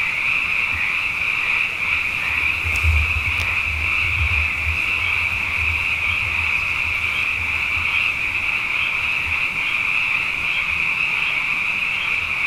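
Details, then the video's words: Abundant frogs calling night after night after two wet years, a dense chorus forming a steady shrill band of overlapping trills, with faint low rumbling beneath and two brief clicks near the third second. "Frog Songs: Na Mele o nā Paloka"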